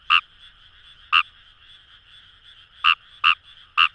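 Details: Fejervarya kawamurai calling in paddy fields along the Kamo River, Itoshima, Fukuoka, Japan: five short loud croaks spaced irregularly over four seconds, each a brief bright burst, over a steady background chorus of other frogs.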